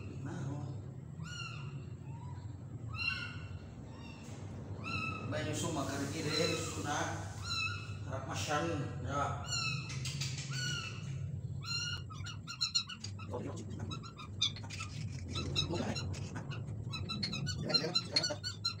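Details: Little kitten during a feeding, giving repeated short, high-pitched mews, some sliding upward. A stretch of people talking sits in the middle, and clicks and faint rustling come near the end.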